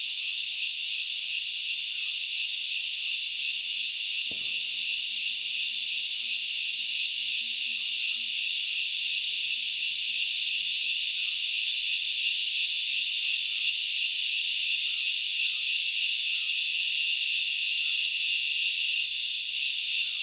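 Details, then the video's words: Grasshoppers recorded in forest at Knuckles Reserve in Sri Lanka's Central Highlands: a dense, unbroken hiss-like chorus of high shrill buzzing that holds steady throughout, with one sharp click near the start and a faint low hum behind. "The sound of locusts / The grasshoppers sounds"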